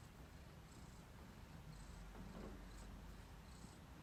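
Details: Pet cat lying contentedly on a freshly washed blanket, giving a soft, low, steady rumbling purr, faint and continuous beneath light room hiss.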